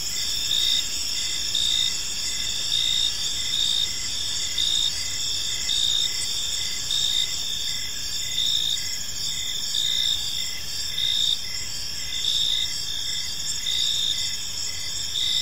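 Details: Gentle chirping of crickets in a serene park in the evening, with dense high-pitched trilling and evenly spaced short pulses about once a second over a quiet, noisy low backdrop.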